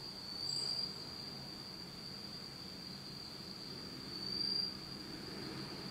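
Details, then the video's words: Insects singing on an autumn night in Japan, in total darkness: one unbroken high, even trill held throughout, briefly louder twice, over a faint low hum. "真っ暗闇の秋の虫の声 Beautiful sound of insects in the fall of Japan in total darkness."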